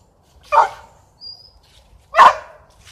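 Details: ['Spaniels chasing squirrels that have fled up a tree and will not come down, giving two sharp, loud single barks about one and a half seconds apart, outdoors.']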